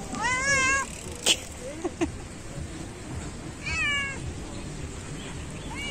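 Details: Loud cat on a beach asking for treats while being fed, giving two long wavering meows with stacked harmonics, the first near the start and the second around four seconds in, over steady surf and wind noise, with a brief human voice and clicks between.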